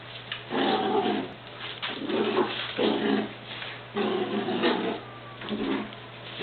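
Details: Beagles Shiloh and Sam tugging on a sock in a game of tug-of-war; gruff, throaty growls surge in about five bursts, separated by brief pauses, inside a small room.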